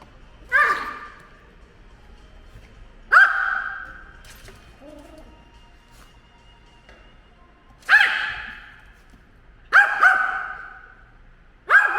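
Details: Pet dog Ttori, aged ten, barks at a drone it hates: widely spaced loud sharp barks, then quicker doubled ones toward the end, each with an echoing fade, and faint low sounds between.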